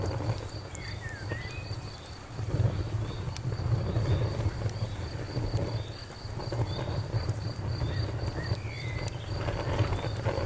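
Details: Crickets beside a crackling campfire: a thin, high chirping pulses steadily through the whole stretch, with sharp pops and snaps of burning wood and a deep, constant low rumble underneath.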